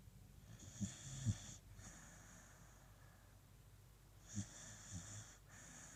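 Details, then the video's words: Beagle Coco snoring deeply on a cold morning: breathy wheezing draws and releases, punctuated by short low snorts and nasal clicks, in a quiet room with a steady hum. "Coco the beagle snoring"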